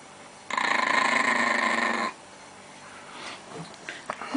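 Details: Pet Chihuahua filmed in Russia protecting pancakes from its family: a steady, buzzy, harmonic growl with fast rhythmic pulsing for about one and a half seconds, then quiet with a few faint clicks.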